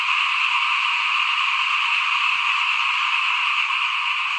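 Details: Many small frogs calling together outside a house during the 2021 rice sowing, a continuous buzzing wall of overlapping croaks, steady in loudness, with a couple of faint low knocks.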